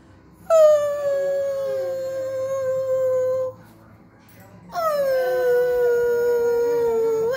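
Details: Max the dog howls as if singing along: two long, mid-pitched, rich howls, each starting higher and sliding down before holding steady, separated by a brief quiet pause.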